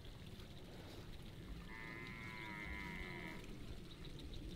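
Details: In an Indonesian village, a cow kept by a farmer gives a single drawn-out, level moo lasting under two seconds, over a steady low rumble of outdoor background noise.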